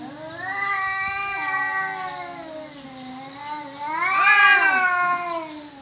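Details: Cats disputing territory: an unbroken drawn-out yowl that wavers slowly up and down for several seconds, then climbs into a louder, harsher crest before easing back to a low moan.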